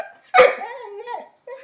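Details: Lenny, an 11-month-old Labrador Retriever, plays with a new ball. A sharp bark gives way to a drawn-out, wavering whine that dips and rises, and a short second whine follows after a pause.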